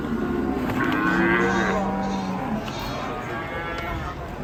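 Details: Cattle at a farm, part of a compilation of raging cows, give a long low steady moo of about a second and a half with harmonics above it, amid a constant crowd-like background hum.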